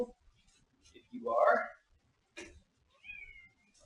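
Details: Domestic cat indoors giving one loud, drawn-out meow that swells and then fades. A short rising chirp follows about two seconds later, with soft clicks and small noises around it.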